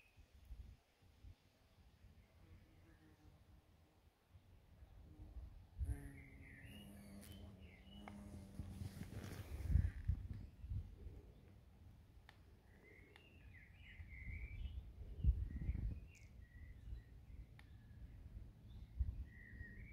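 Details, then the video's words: Many bumblebees on scabiosa flowers in a garden plot in Germany; a steady droning buzz rises partway through, then fades, amid wind rumble and high chirps from small birds. "Скабиоза и много шмелей. Скабиоза. Шмели на дачном участке в Германии."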